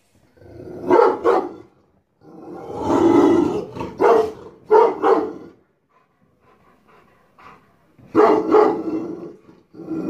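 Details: Aggressive Rottweiler on guard at a house, barking in deep, forceful bursts: a pair of sharp barks, a longer rough bark, then further doubled barks after a quiet stretch.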